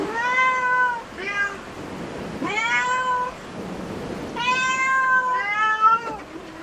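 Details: Repeated meows from a cat in a cat cafe: around five clear, harmonic calls, some short and some drawn out, coming in quick succession against a quiet indoor background.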